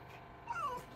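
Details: Fox eating a night snack while a woman talks to it in Russian; one brief high whining squeal that slides downward, heard over quiet room background.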